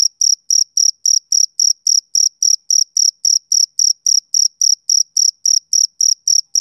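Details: Male cricket on a summer evening giving crisp, high chirps in a steady pulse of roughly three per second, each note short and slightly rasping, isolated against silence.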